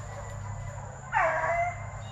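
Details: A Plott Tan hound pup, Plott Hound mixed with Black and Tan Coonhound, at TTG Kennels; one sudden half-second yowl that slides downward, after a quiet stretch of low hum.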